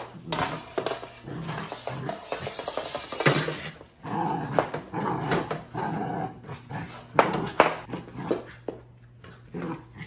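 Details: Puppy indoors dragging a yard broom into the living room and playing with it, rough low growly noises in bursts mixed with scraping, knocking and clattering of the broom against the floor and furniture.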